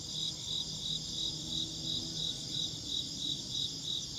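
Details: High, regular insect chirps pulsing just under three times per second, layered over a steady piercing background trill and soft low-frequency hum.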